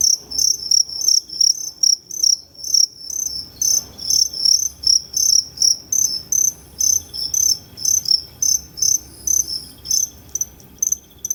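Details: Two-spotted crickets calling at Tama Zoological Park, Japan, on 29 September 2015, with two different call types; a long run of sharp, high, evenly spaced chirps, roughly two to three a second, over faint room noise.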